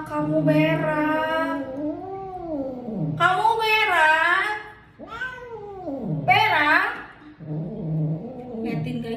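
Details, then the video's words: An angry odd-eyed cat gives long, bending caterwauls one after another, each arching up then sliding down, with a person speaking over them indoors. "KUCING MARAH MARAH"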